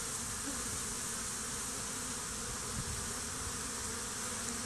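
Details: Swarming honey bees fighting over a stump near hives, after a swarm was combined with a colony five days earlier; a dense, continuous buzzing wash, with brief faint low-pitched hums from individual bees passing close.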